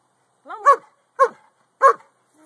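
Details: Boston Terrier barking at the Corgi next door while spying on the neighbours, Android phone recording: a brief rising whine runs into a bark, followed by two more clipped barks.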